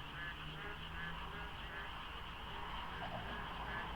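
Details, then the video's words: Frogs croaking in the dark at dawn during the monsoon at the Deokso IC expressway interchange, light fog. Irregular repeated croaks sit over a steady high drone and a low rumble of passing vehicles. "장마 중인 새벽 고속도로 덕소IC에 어둠을 가득 채운 개구리 소리"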